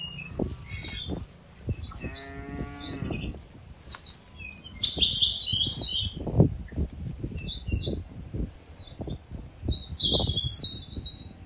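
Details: Tame herd of cattle being driven from a wide green field toward their pen by a herder; one drawn-out, harmonic moo lasting about a second, with steady chirping of small birds overhead and the soft thuds of hooves moving through the grass.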